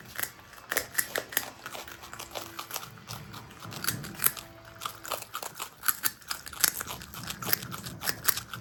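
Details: Pet marmots, Himalayan and Alpine marmot brothers kept together indoors, eating: dense run of crisp crunching and biting clicks, irregular and rapid, filling the whole stretch in a small quiet room.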